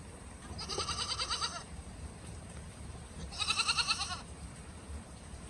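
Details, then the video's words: Goat in the snow giving two loud, harsh bleats, each about a second long with a wavering, pulsing quality, separated by a short pause, over steady background hiss. "Goat at the snow || loud noise goat"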